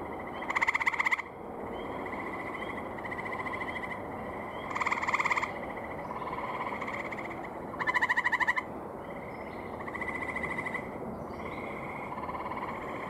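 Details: Gray tree frog males call from a pond on a May evening in 2018. Several loud, rapidly pulsed trills of about half a second each come every few seconds, and quieter answering trills sound between them.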